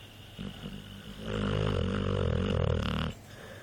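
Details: Mike the dog snoring: a short soft breath, then one long low rattling snore of rapid pulses lasting nearly two seconds before it stops abruptly.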